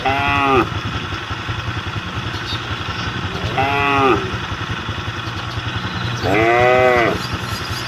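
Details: Roadside cattle calling the herd with three separate moos, spaced a few seconds apart, each a short arching tone, the last the loudest, while a motorcycle engine rumbles throughout.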